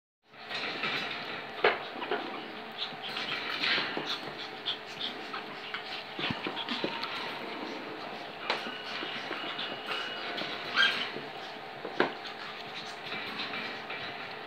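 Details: Litter of five-week-old long-haired pedigree Chihuahua puppies, heard as a busy stream of soft panting, snuffling and rustling movement with a few sharp clicks and faint squeaks over a steady low hum.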